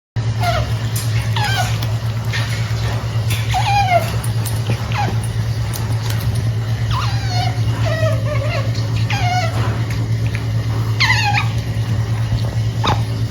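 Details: Otter making cute noises while eating snacks indoors: thin, high squeaky chirps that slide downward, repeated irregularly about twice a second, over a steady low electrical hum.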